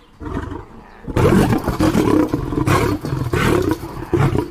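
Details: Lion giving loud, rough, continuous roaring and growling that starts abruptly after a quiet second and stays harsh and dense throughout, with deep rumbling underneath and a few brief swells.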